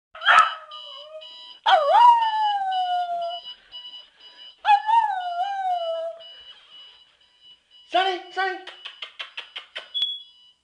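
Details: Pet dog howling in response to an alarm clock: three long, wavering howls that rise then slide downward, then a run of short, quickening yelps, all over a steady high electronic beeping from the alarm.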